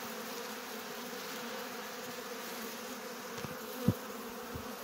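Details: Honey bees robbing a hive at an apiary in September 2022, filmed in slow motion: a steady low droning buzz of many bees with a faint whine above, broken by a brief sharp knock near the end.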